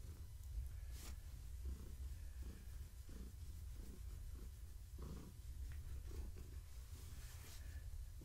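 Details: Pregnant long-haired tabby cat purring while being petted in the evening, kittens moving inside her; a steady low rumbling purr throughout, with soft pulsing beats and light handling noises.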